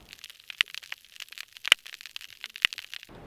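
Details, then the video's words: Snapping shrimp living in large sponges of a healthy hard-bottom habitat in Florida Bay, recorded by hydrophone, fill the water with a dense, irregular snap-crackle-pop of sharp, high clicks. "snapping shrimp are called snapping shrimp because they make a bunch of noise they make a snap crackle and pop that you can hear in the hard bottom and mangrove recordings"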